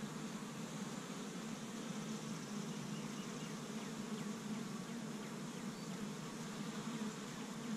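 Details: Established honey bee hive active in spring in Michigan, bees foraging pollen from tree buds; a constant chorus of wingbeat buzzing, low and slightly wavering in pitch, fills the whole stretch.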